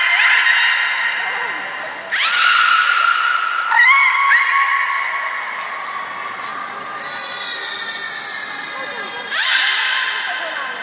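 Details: Captive beluga in gate training at Port of Nagoya Public Aquarium on 3 May 2019, ahead of the 11:00 public session. Long buzzy-harmonic tones shift up and down in steps, with short thin high whistles near the start and end, faint hall noise behind.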